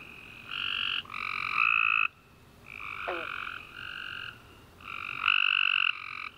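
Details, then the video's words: Tree frogs chorusing at night after a warm rainy summer day, overlapping steady trilled calls in two bands, each bout lasting about half a second to a second, with several callers alternating and short gaps between them. "Tree Frog Chorus After A Warm Rainy Day - 10 Hours Tree Frogs Chirping You To Sleep"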